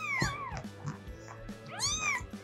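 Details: Domestic cat (Felis catus) gives two rising-then-falling meows, a call adult cats use not with each other but to ask people for attention, food, warmth or access; kittens meow to mothers when cold or hungry.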